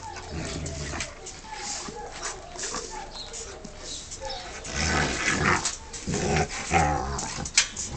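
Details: A Rottweiler gives rough, deep barks and growls during a confrontation with a person, who shouts commands in Romanian telling it to stop and let go, then praises it.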